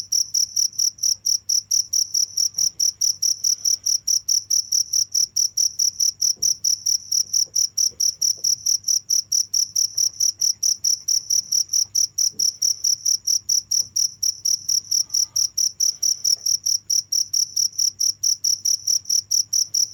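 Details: Crickets chirping without stopping: steady pulsed chirps around five to six thousand cycles with a fainter higher band, about two chirps per second, very regular, with a low constant hum underneath.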